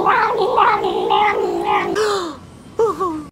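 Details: Domestic cat giving a long run of drawn-out, wavering meows and yowls for about two seconds, then a brief pause and a short rising-falling meow near the end; no other sounds.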